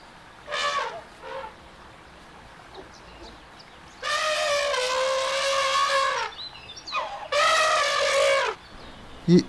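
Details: Elephant. Several harsh, horn-like elephant trumpets ring out. A brief blast comes first, then two long, rich, slightly wavering calls that end with a downward slide, with faint background noise between them.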